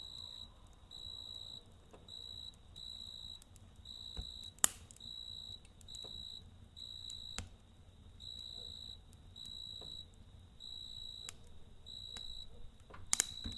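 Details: High, ringing cricket trills in short repeated bursts at night by a campfire, evenly paced throughout, with occasional sharp snaps from the fire and a quiet crackling background.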